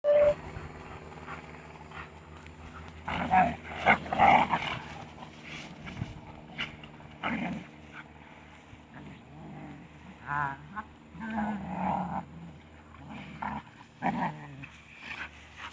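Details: Two young shepherd dogs, eighteen months and six months old, rough-housing indoors and snarling like pigs; rough, broadband growls and snorts come in irregular bursts, loudest around three to four seconds, with a brief snatch of music at the start.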